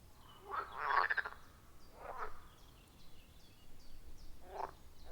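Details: Frog croaks from a wild forest pond, recorded with an iPhone 14 Pro and Shure MV88+; a few soft, brief rasping calls spaced about a second apart against a quiet, faintly hissing background with distant high chirps.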